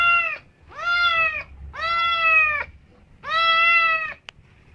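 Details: A domestic cat gives four long, loud, harmonic meows, each about half a second to a second, level in pitch and evenly spaced, with a faint click near the end.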